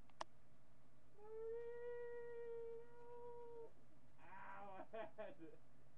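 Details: Howling min pin named Marty, captured by webcam on July 8, 2011, mid-morning: a steady, clear sustained tone held for over two seconds, followed by a short burst of what sounds like a human voice.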